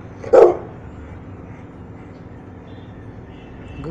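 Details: One-year-old Rottweiler during obedience training gives a single short, deep bark, followed by several seconds of quiet background hum.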